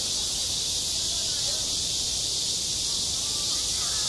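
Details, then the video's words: Summer cicada chorus over a school playground: steady, bright, shimmering hiss holding at one level without pause, while distant voices mutter faintly below. "한 여름 운동장에서 매미가 울고 있다 - 여름의 소리, 학교 종소리, 매미 울음소리"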